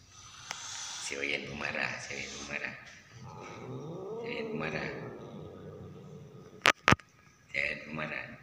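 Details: Orange house cat, described as always angry and possibly in heat, growling while being filmed; low wavering growl building over a few seconds into a drawn-out moan, with a person speaking and two sharp clicks.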